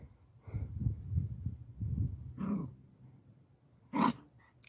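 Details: Parson Russell Terrier Lenny, visiting his new friend Mackie, gives rapid, low, breathy pulses for about two seconds. A louder short huff follows, then a sharp broadband burst near the end over a quiet room.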